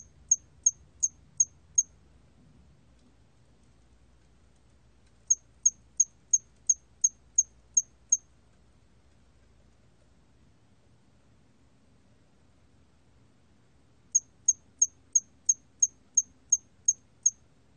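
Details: High, thin chirps of a 털귀뚜라미 cricket (National Institute of Biological Resources, 2020) come in three separate bursts of roughly five, eight and ten pulses, each burst quick and evenly spaced, with long quiet gaps between.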